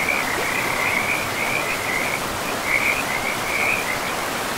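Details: Frogs calling in a pristine forest beside a river, with mossy ground around them: short raspy pulsed croaks in quick runs, about two bursts a second, pausing briefly midway, over a steady broad rush of flowing water.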